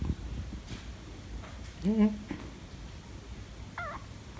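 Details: Rescued kitten meeting a tabby cat for the first time at home; a single drawn-out wavering meow midway, then a faint short mew, against a low indoor hum.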